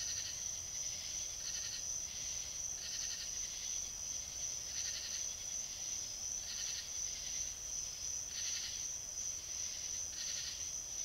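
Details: A fox in South Carolina captured by a trail camera, calling with a long run of scratchy, breathy barks spaced about a second apart, a continuous thin high tone behind them.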